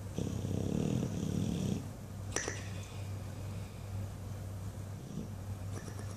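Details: English Bulldog Buddy, asleep and dreaming, gives one long coarse low snore lasting over a second, followed by a sharp lip flap and quiet breathing against a steady low hum.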